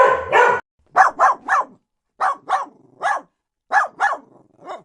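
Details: Dog barking: a loud, rough opening bark, then short sharp barks in clusters of two or three, separated by brief silences.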